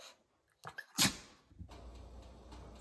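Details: A Shih Tzu indoors that communicates by sneezing, always answering with a sneeze; a single sharp, noisy sneeze burst about a second in, following a person asking if it is hungry, then quiet room hiss.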